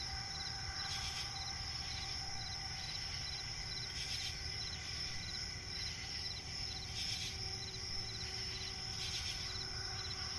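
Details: Crickets at night in a swampy forest, a steady high band of trilling with short repeated pulses, occasional louder bursts every two to three seconds, over low rumbling background noise.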